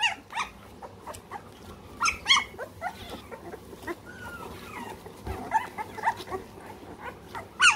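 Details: Scattered squeaks and brief thin whines from three-week-old American Bully puppies in the United Kingdom, short isolated calls spread across quiet stretches with soft shuffling between them.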